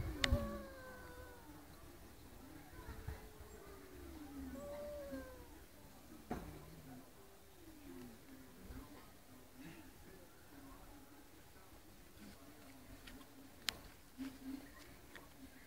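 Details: Two cats arguing: a run of slow, sliding yowls, each bending up and then dipping down, separated by short pauses, with occasional sharp clicks and knocks in a quiet room.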